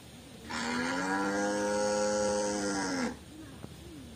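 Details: Tame white village cattle roaming loose in a garden: one long, even moo of about two and a half seconds, falling slightly at its close, followed by quiet.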